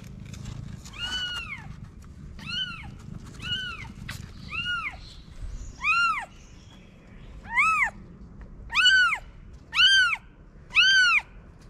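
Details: Stray mother cat in Morocco hiding newborn kittens in a paper box; clear arched meows roughly once a second, growing louder and sharper toward the end, with faint low background noise.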